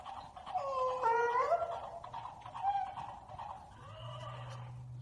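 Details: Kimba the donkey brays at a stuffed horse after the toy makes a whinny sound. A wavering, honking tone slides up and down over about two seconds, followed by a softer drawn-out call and a low steady hum.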